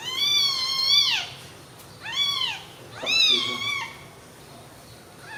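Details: Three clear, piercing meows about a second apart from newborn baby kittens resting together on milk, each call arching up and then sliding down at the end, in a quiet background.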